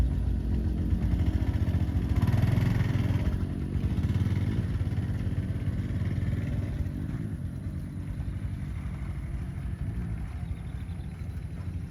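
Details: Only a loud, continuous engine rumble like a motorcycle revving, with clattering, is heard; no animal sound.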